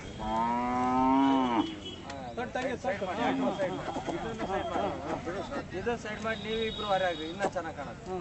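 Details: Hallikar oxen at the Badavanahalli cattle fair, where buyers and sellers meet: one steady, low, drawn-out moo lasts about a second and a half, then men's lively talking and fair chatter take over.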